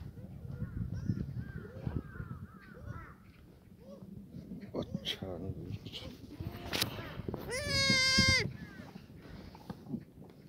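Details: Black goats at Sunny's Black Goat Farm in Gimhae, South Korea, in the farm exercise yard on a clear Sunday morning, 31 March 2019. A loud, drawn-out wavering bleat rises near the end, after softer scattered calls and a chirping background.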